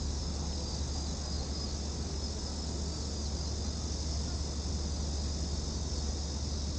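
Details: At Gwanggyo Lake Park in Korea on 8 September 2021, cicadas keep up an unbroken high-pitched hiss, steady in pitch and loudness, with low traffic-like rumble beneath, recorded on a VR360 camera.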